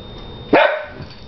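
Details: A dog gives a single sharp bark, a short loud burst that drops quickly in pitch and fades, heard over low indoor room noise.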